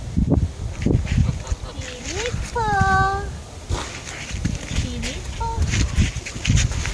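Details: Young goat kid named Pippo gives a single clear, steady harmonic bleat lasting under a second, surrounded by women chatting, laughing and calling to it in Mandarin.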